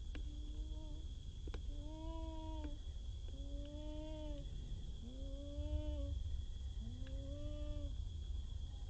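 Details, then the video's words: Wild baby monkey calling for its friend after crossing water: five drawn-out, tonal coos, each slightly rising then falling, spaced about every one to two seconds, over a steady low rumble and a faint constant high whine. "this cute baby monkey keeps looking for and calling for his friend"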